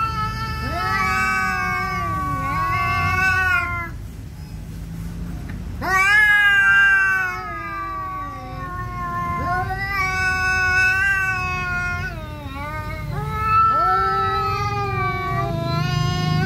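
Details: Two cats, a Siamese and an orange cat, quarrelling over territory; sustained moaning howls sliding up and down in pitch, swelling into louder rising cries, with brief dips between long wails.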